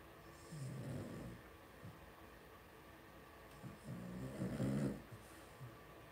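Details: Indoor pen of five blenheim Cavalier King Charles Spaniel puppies, two weeks old, offspring of Paris and Spike: two loud bursts of rough, snore-like grunting and snorting, separated by a quieter stretch.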